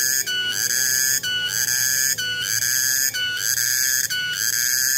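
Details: Cicada (tonggeret) recorded on 21 August 2020: a loud, sustained, shrill whistling drone. Strong tonal overtones are broken by short dips about once a second, giving a steady pulsing rhythm.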